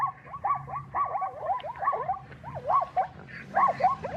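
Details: An adult male zebra barks in a weird, yipping series, each note sliding up and down like a squeaky yelp, given in rapid irregular bursts over a low background rumble.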